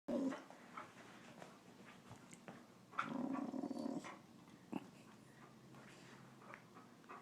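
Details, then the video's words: Boxer dog making a funny noise: low, rough grumbling growls, with one louder drawn-out rumble lasting about a second midway and softer breathy snorts before and after. "Boxer makes hysterical noise"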